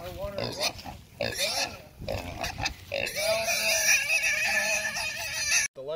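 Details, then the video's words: Red Wattle hog wrestled onto a man's shoulder, giving choppy squeals early on and then a long, loud, sustained squeal from the third second, with a man speaking in the background. "RED WATTLE HOG"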